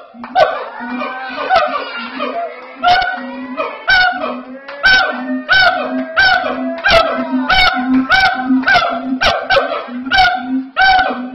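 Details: Captive siamangs (Symphalangus syndactylus) at Ragunan Zoo, South Jakarta, call very loudly, with low resonant booms under sliding, wailing barks repeated in quick bursts.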